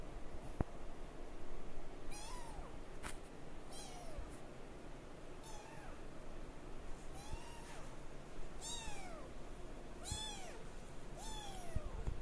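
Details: Male Singapura kitten, 22 days old, born 28 January; thin, high rising-then-falling mews repeated about every one to two seconds, each a short arched squeak, over a steady low background hum.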